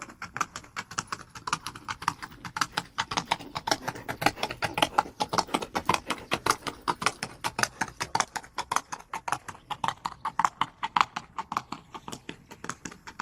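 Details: Horse running at a gallop: dense, fast drumming of hoofbeats, sharp knocking strikes packed closely together and repeating steadily throughout, with no other clear sounds.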